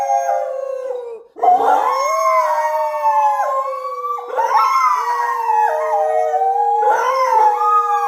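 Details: Pet Thai Bangkaew and Rottweiler howl together, following their owner's voice. Long, wavering tonal notes overlap in chorus, broken by a brief pause, then rise again in three swelling waves.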